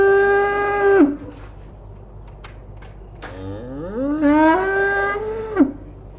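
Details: Cattle out on pasture, one steady level moo ending in a downward slide, then a pause with faint clicks before a second moo rises and holds, ending with an abrupt drop.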